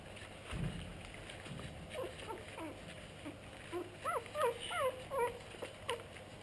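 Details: Pug cross puppies giving soft, wavering whimpers. They are faint at first, then a cluster of squeaky up-and-down whines comes in the last three seconds over a low steady hum.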